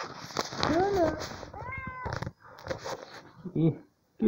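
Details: Domestic cat in a small room, eager to climb up to its owner's shoulder, utters two drawn-out bending meows amid a woman's Spanish speech, with handling noises and a short burst at the end.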